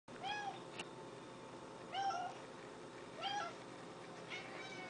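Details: Orange and white pet cat begging indoors for a treat while another cat gets medicine wrapped in a treat: four rising-falling meows, roughly one every second or so, with a man speaking softly between them.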